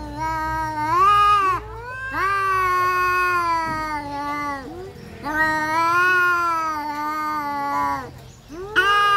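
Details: Domestic cats in a fight trade near-continuous caterwauling, long wavering harmonic howls that dip and climb in pitch, about four drawn-out wails with barely any break.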